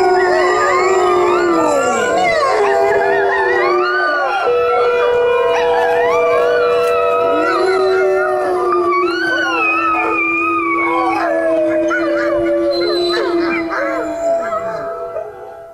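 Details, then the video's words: Chorus of dogs howling, long drawn-out notes overlapping, some sliding upward then dropping away at their ends, voices layered and steady before fading out near the close. "CHIENS HURLER pour faire hurler votre chien dogs howling to make your dog howl"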